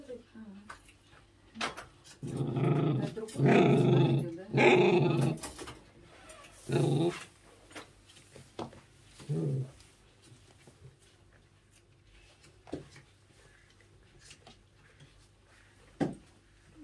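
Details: Pembroke Welsh Corgi puppy growls indoors in protest at being brushed during grooming. Low, rough growls come in several bursts over the first seven seconds, then fade to a few short grumbles, while women talk quietly in Russian.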